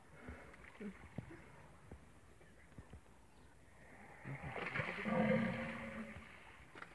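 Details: Hippopotamuses attacking a rhinoceros: after several quiet seconds of faint clicks and rustles, a loud, low, harmonic groaning roar swells up and holds for about a second near the end.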